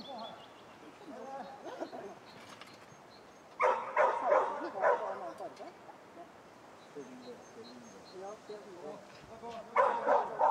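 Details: Schapendoes dog at agility training on May 12, 2015, giving bursts of sharp, repeated barks in two clusters with quieter yips between, alongside a person speaking.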